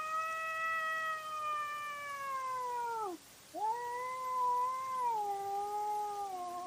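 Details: Cats in a nighttime fight recorded by trail camera: a long drawn-out yowl falling gradually, a brief dip into near silence, then another sustained wavering moan that slowly drops in pitch.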